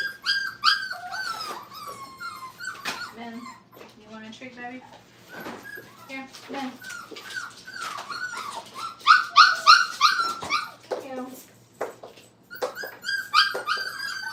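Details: Indoor kennel crate training of five-week-old Brittany puppies, with a chorus of rising and falling whines and short yelps, repeated quickly and irregularly, swelling to a louder burst near the middle, with a person's voice faintly underneath.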